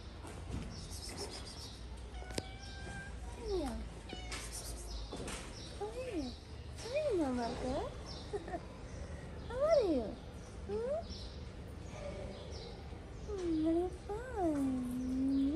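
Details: Stray cats in Morocco, friendly kittens, giving a series of short, high, arching meows spaced a second or two apart, some rising then falling, over a low background hum with faint voices.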